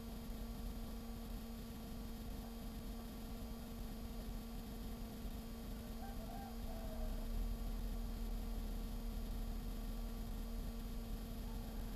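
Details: Steady mechanical hum and low rumbling noise with no clear animal voice.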